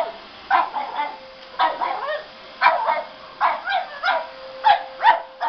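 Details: Pug scared of a running vacuum cleaner gives a rapid series of short yapping barks, about two per second in bursts, over the steady roar and whine of the vacuum.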